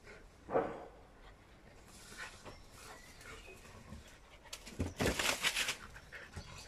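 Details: Young Australian Shepherds playing in a garden with 'aunt' Quinnie: fast panting and scuffling, a single sharp yelp early on, then a cluster of harsh, rapid growly bursts near the end.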